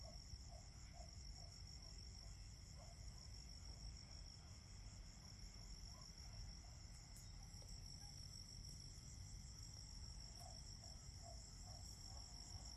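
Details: Crickets in fall give a steady, layered high trilling with a pulsed quality and a few sharp clicks. Lower brief chirps come in short runs over constant low noise.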